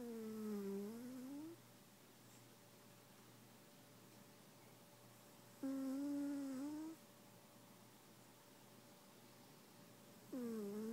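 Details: EV the cat snoring indoors in a small room: drawn-out, tonal, whistly snores with a low humming quality, each about a second and a half long, dipping then rising in pitch, returning roughly every five seconds over a steady faint background hum.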